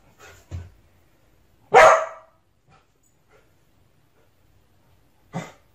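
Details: Dog barking at itself in a mirror: a soft low yip, then one loud sharp bark, a long silence, and a final short low bark in an otherwise quiet room.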